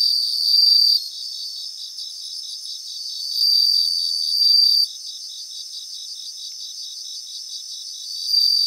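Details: Several bell crickets sing in a grassland. Clear, bright ringing bursts of about a second rise above a dense, continuous high pulsing chorus. They recur three or four times, separated by quieter stretches of trilling.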